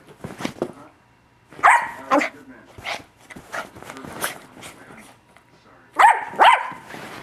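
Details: Yorkshire Terrier puppy named Milo, still running around at 1am indoors, gives loud sharp barks in uneven bursts, several quick yaps then pauses, with a strong pair near the end and human speech mixed in.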